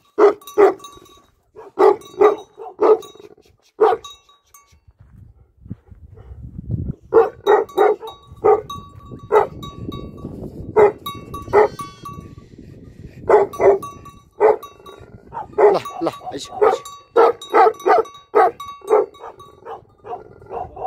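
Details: Loud, resonant barking from a Tibetan Mastiff, the Nepali Bhote Kukur, in quick repeated bursts. A low rumbling background noise fills the middle section before the barks resume in fast series.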